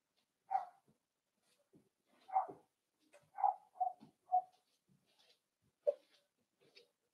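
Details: Whimpering from four-week-old Cavalier King Charles Spaniel puppies kept in an indoor pen: a run of about six thin, squeaky yelps, mid-pitched and irregularly spaced roughly half a second to a second apart, with faint rustling between.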